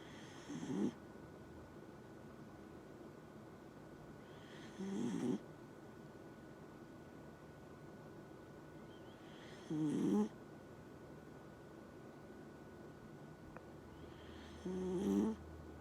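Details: Dachshund snoring: four low, rough snore breaths come steadily about every five seconds, each a short raspy burst with a breathy hiss on top, with quiet between them and a faint steady hum.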